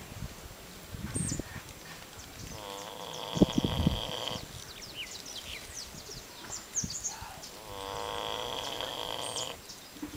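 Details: Snoring pig at an ostrich farm on Curacao, Dutch Antilles: drawn-out, harmonic rasping breaths of about two seconds each, separated by low grunting, with small birds chirping in the background.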